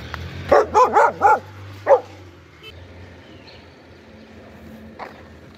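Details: Dog barking: a quick run of four sharp, harmonic barks, then one more after a short pause, followed by quiet background hum and a faint click.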